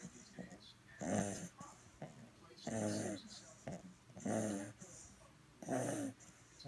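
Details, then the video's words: Ten-week-old purebred fawn English Bulldog puppy asleep indoors, snoring in rhythmic rasping breaths that come roughly every one and a half seconds, each a throaty, buzzy rumble with quiet pauses between. "Snoring Bulldog Puppy!!"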